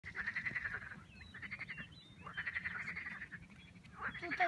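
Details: Frog chorus croaking in the Vistula valley on the way to the Pepper Mountains, Poland: rapid rattling, pulsed bursts about a second long, overlapping and repeating, over a low rumble of background noise.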